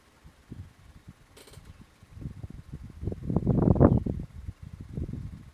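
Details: Wild male lion Splitnose of the Gomondwane coalition in Kruger National Park's hippo pools area calls to his brothers: rapid deep grunts swell to a loud peak, then taper off into softer grunts.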